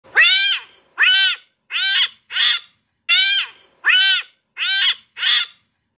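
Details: A cat during play gives eight short, bright, harmonic meows in quick succession, each rising then falling, spaced roughly every 0.7 seconds, with two brief pauses and a clean, quiet background.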